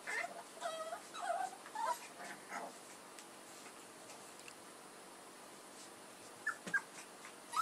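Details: Edhel and Berry's puppies whimpering in a cluster of thin, wavering squeals at the start, fading into quiet hiss, then a couple of brief faint squeaks and knocks near the end.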